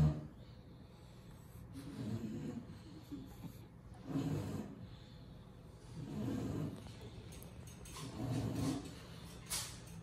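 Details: Lilac English Bulldog in Miami making low, rough snorting breaths, about four separate bursts of roughly half a second each, spaced around two seconds apart, with quiet rustling between them.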